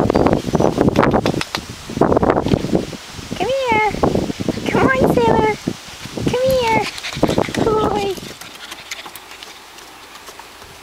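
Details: Alaskan Malamute puppies, six and a half weeks old, from parents Andy and Clara: a run of short, arched, wavering whines and yips in the middle, mixed with rustling and handling noise, then fading quiet.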